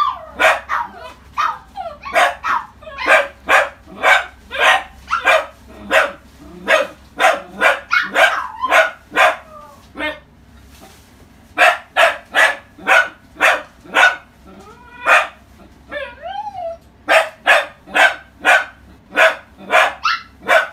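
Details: Orange female Pomeranian puppy born in February 2018, at a pet shop, barking in long runs of sharp high yaps roughly twice a second, pausing briefly around ten seconds, with a short whine in between.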